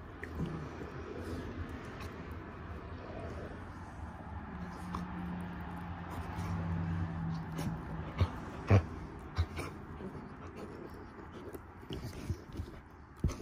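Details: Standard Poodle pup and Havanese-mix dog mouthing off at each other during morning play indoors; low rumbling growls build in the middle, with scuffling, a few sharp clicks and thumps.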